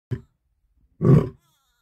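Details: Lion in early morning sunshine, one short grunt followed by a deep, low, rough roar about a third of a second long.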